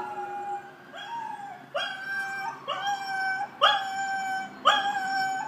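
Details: Sophia, a Blue Roan Cocker Spaniel puppy, mimics passing sirens, howling along in short, rising, tonal wails about once a second.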